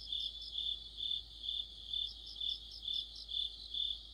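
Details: Crickets and companion insects form an autumn orchestra. Piercing high chirps rise and fall in an even beat, about nine pulses in four seconds, with a quieter layer of higher chirps on top.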